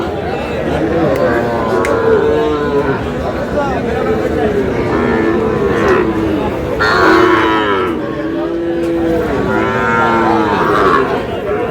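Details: Lowing of Sahiwal breed bull calves during buying and selling at Aftabganj market, Dinajpur; several overlapping harmonic moos, some rising then falling, repeat every few seconds over constant crowd chatter and background din.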